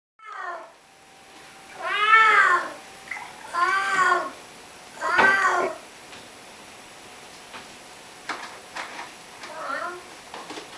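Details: Pet cat meowing in conversation with its owner indoors: several arched, harmonic meows spaced about two seconds apart, the owner's voice answering between them, softer meows toward the end.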